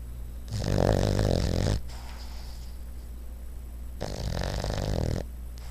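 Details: A sleeping dog lying sideways snores in two long, rasping, low buzzy breaths of about a second each, separated by a quiet pause of steady breathing and faint background hum.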